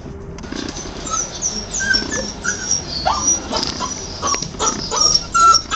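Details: Six-week-old puppies, two of them, give a quick run of thin, high whimpers and yips, wavering and overlapping in a busy, excited string, with faint handling noise behind.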